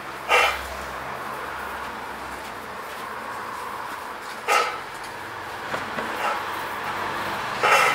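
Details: American Bully pocket puppy, a male two months and two weeks old, gives three short, sharp barks spaced several seconds apart over a steady hiss of background noise.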